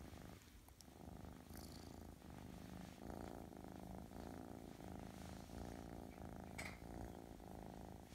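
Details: A Russian Blue kitten, described as very affectionate and gentle, purrs steadily, a low continuous rumble with a soft rhythmic pulse.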